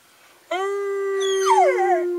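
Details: Howling from Ben, Ludo and Tina, three pet dogs urged on by their owner. A long level howl starts abruptly, and a second, higher voice joins midway, sliding sharply downward and wavering over the first.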